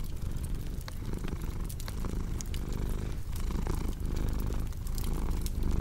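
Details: Cat's low, continuous purr pulsing in breath cycles, deep and rumbling, with scattered crackles and pops from a wood fire throughout.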